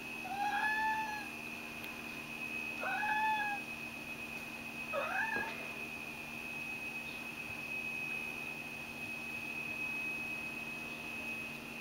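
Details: Ragdoll cat named Mojio begging at 5 a.m. indoors, apparently wanting a bath; three drawn-out, rising-then-falling sweet meows about two seconds apart, followed by quiet room hum with a steady high electrical tone.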